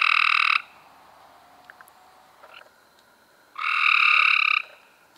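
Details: Cope's gray treefrogs, May 2016: a brief buzzing trill ends at the start, then after about three quiet seconds another rasping trill lasts around one second.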